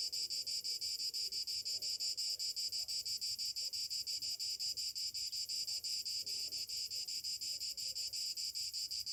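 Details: Summer morning chorus of cicadas, an unbroken shrill buzzing that pulses rapidly and evenly throughout, with nothing else standing out.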